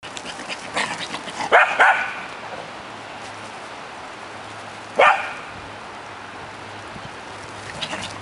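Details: Two corgis, one chasing the other around a merry-go-round during their morning routine, give a few sharp, high barks separated by quiet stretches.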